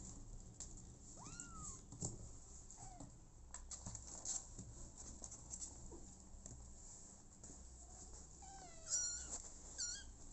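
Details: Abandoned kitten meowing indoors: a few thin, high rising-falling meows scattered through the clip, with a cluster of quick overlapping mews near the end, over soft rustling and handling noise.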